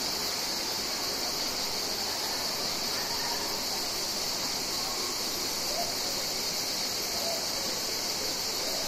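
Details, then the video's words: Mediterranean cicadas in summer: a steady, unbroken high buzzing chorus that holds an even level throughout, with no clear pulses and no other animals standing out. "Cicadas Mediterranean Insects Audio"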